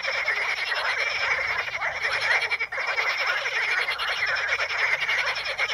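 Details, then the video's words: Many frogs among Potamogeton crispus pondweed in the Ispani mires produce an unbroken, loud chorus of fast rattling croaks layered with a higher buzzy trill, with one short lull midway. "the sound of frogs"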